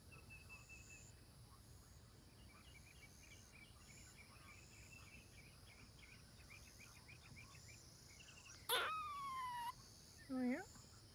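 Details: Female squirrel Serena in heat calls: after faint distant chirping, a sudden loud burst leads into a falling whistled note lasting about a second, then a short lower rising squeak follows.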